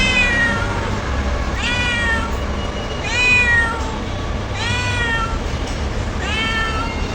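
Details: Domestic cat crying, a series of four drawn-out, arching meows spaced about one and a half seconds apart, each with rich harmonics, over steady low background hum.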